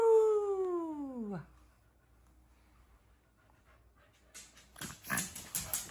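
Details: Owie, a four-month-old pug puppy, lets out a drawn-out 'woo' howl that slides steadily downward in pitch for over a second, followed by silence and then rustling, shuffling sounds.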